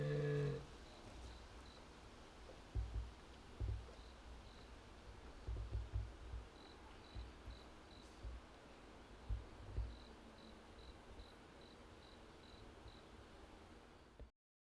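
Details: Jaguar Yuki at Higashiyama Zoo and Botanical Gardens, Nagoya, filmed 21 October 2025, calling in a murmuring way for a while after the keeper left for other work. Short, deep, muffled grunts come in scattered bursts over a faint, steady high ticking.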